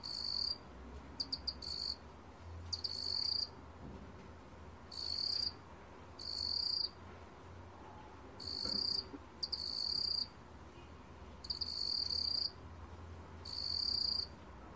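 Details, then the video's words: Song of the meok-gwitturami cricket, from Korea's National Institute of Biological Resources, 2020: bursts of high, ringing trill of about half a second, sometimes led by brief ticking pulses, repeated irregularly every one to two seconds against faint hiss. "먹귀뚜라미, 여러번 듣기, 곤충소리"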